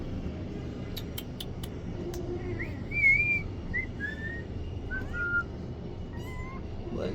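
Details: Young kittens taken in from the street and raised as pets give a series of short, high, thin mews. Some rise, others fall, and they come scattered over several seconds with brief clicks and low background hum.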